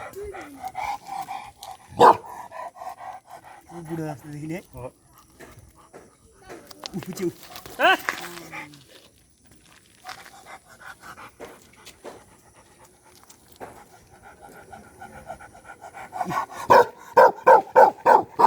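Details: Nomadic shepherd dog, a livestock guardian dog of the mountains of Nepal, gives a quick run of sharp, evenly spaced barks near the end, after stretches of people talking nearby.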